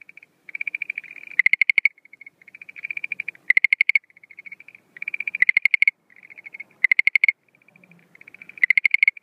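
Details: Schlegel's green tree frog calling at night in spring breeding season 2013; steady pattern of a soft trill rising into a loud harsh pulsed burst, repeated about every 1.7 seconds.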